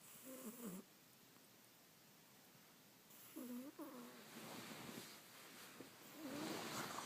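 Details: Sleeping domestic cat snoring: two bursts of short, whistly, nasal tones about three seconds apart, each a pair of wavering breaths, followed by a louder breathy rustle near the end.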